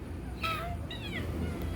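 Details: Domestic cat waiting for its plate of food at home utters two brief meows, the first bright and level, the second a falling, slurred cry, over low steady household hum.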